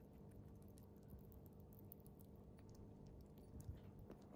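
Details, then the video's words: Pet chipmunk Bikke chewing jelly food for small animals, a busy patter of moist smacking clicks close to the microphone, with one sharper louder snap near the end, set against a quiet room hum. "Chipmunk is eating jelly(for small animals)/ゼリーをクチャクチャ食べるシマリス"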